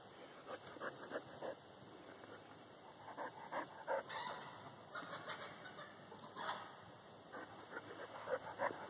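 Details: Corky the dog behind a fence, confronting a whitetail doe with recently born twin fawns; bursts of sharp barks come in uneven clusters, some rapid runs and some pauses, over a steady high electrical whine.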